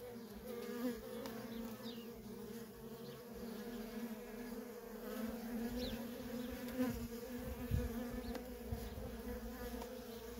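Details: Worker honey bees in nonstop traffic at a feral colony, a steady droning hum with a low fundamental and bright overtone bands, swelling and fading as individual bees pass close, with occasional faint thumps beneath.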